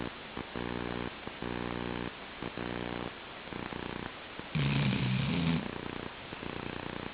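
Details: Snores from Chi-chan, a Labrador Retriever asleep: soft, throaty buzzing breaths come in evenly spaced bursts roughly each half second, then one louder, rougher snore swells for about a second before quieter breathing returns.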